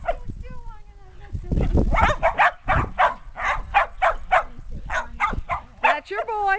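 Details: Shetland Sheepdog puppies, 8.5 weeks old, and adult dogs romp in a yard in 2010 after days of cold, wet weather. Sharp barks repeat rapidly through the middle, with people talking at the start and end.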